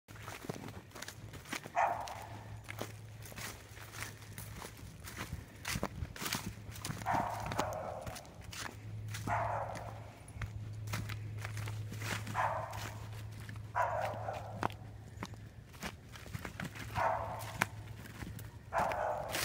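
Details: Flint, a hunting dog, barking treed at a fox squirrel in a tree surrounded by briars; short barks repeat about every two to three seconds, six in all, over crunching footsteps, rustling brush and a steady low hum.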